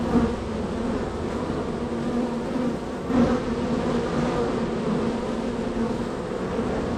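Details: Honey bees at a very active hive in a row of hives, workers entering and leaving; dense, steady droning hum with overlapping wingbeat tones, a brief louder swell near three seconds as a bee passes close.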